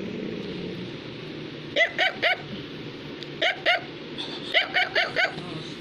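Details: Affenpinscher, a toy dog breed, barking indoors: sharp, high-pitched yaps in quick bursts, three together, then two, then a run of four, with faint voices murmuring in the background early on.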